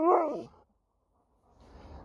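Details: Alaskan Malamute named Sherpa, in Cornwall, England, answering back indoors: a short, loud, wavering moan lasting half a second, then quiet with faint room noise.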